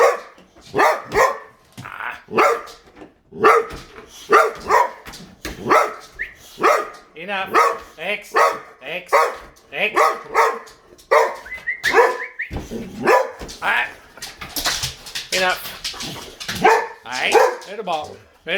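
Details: Boxer dogs reacting to a vacuum cleaner with rapid, dense barking and yelps, barks crowding one another almost continuously, while a man speaks to them over the noise.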